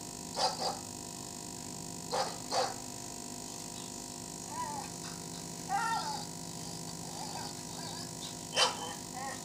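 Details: A Labrador retriever gives short, sharp barks in pairs in response to a strange sound played to him, with faint voices between them.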